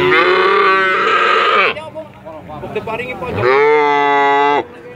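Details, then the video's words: Cattle giving very long moos: a steady, rich, drawn-out bellow of nearly two seconds, a short gap with faint background noise, then a second sustained, even moo of over a second. "Suara Sapi Sangat Panjang Sekali"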